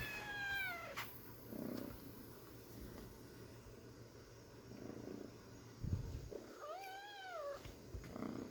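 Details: Kitten meowing twice: a short falling cry near the start, then a longer arched meow that rises and falls about six seconds later, both strongly harmonic, with soft breathy rustles and a steady low hum between them.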